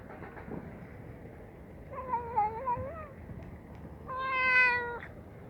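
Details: Yellow domestic cat making a strange sound while eating food: two drawn-out, wavering meow-like cries, the first rising and falling around three seconds in, the second steadier and louder near the end, over low background noise.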